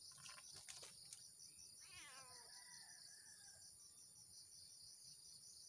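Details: Early-morning meow from Blink the cat, who is hunting squirrels in cashew trees. One short bent meow sits amid a constant shrill insect buzz, followed by a thin level whistle.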